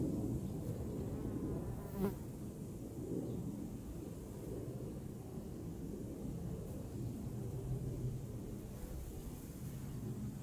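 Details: Honeybees humming in a dense, continuous low drone with no clear breaks, one louder close pass about two seconds in, amid soft outdoor noise.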